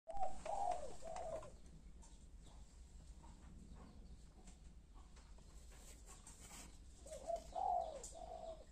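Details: Domestic kittens only a few days old give short, wavering mid-pitched mews, a pair of quick cries at the start and another pair near the end, with a low steady hum underneath.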